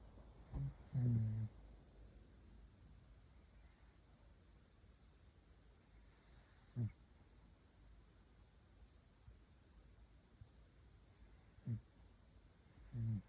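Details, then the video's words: Puppy asleep and snoring like an old man: short, low, throaty snorts come in bursts roughly every few seconds, separated by long stretches of near silence in a quiet room. "강아지 코골이 아저씨코골이"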